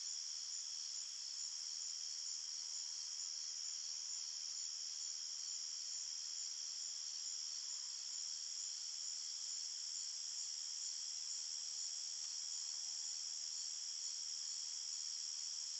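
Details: Crickets chirping at night in a forest, a dense, unbroken high-pitched shimmer of several steady layered tones with no pauses or other voices, holding an even loudness throughout.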